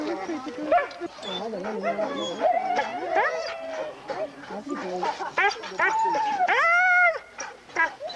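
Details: Forest of Dean husky race, November 2001, VHS recording: overlapping whines and yips from several dogs, with a long arching howl-like cry late on, mixed with people talking nearby.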